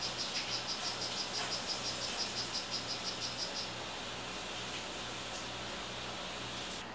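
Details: Kept male 'Rio Guarumo' strawberry poison-dart frog giving rapid high chirps, roughly three each second, for about three and a half seconds before falling silent, with a faint steady electrical hum beneath.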